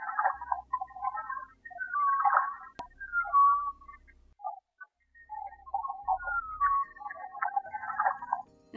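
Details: Humpback whale call recorded from a boat off Mexico in rough seas at the mouth of a bay, pitched much higher than an earlier call: moaning and whooping tonal sweeps, some rising, in repeated phrases, over a low rhythmic beat of waves hitting the hull.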